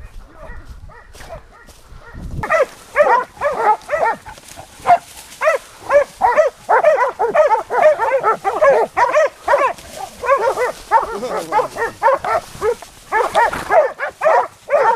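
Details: Hunting dogs barking while chasing during a wild boar hunt at Gölpazarı. After a quiet start, rapid harsh barks run about two per second, irregular and overlapping, carrying to the end over faint outdoor background.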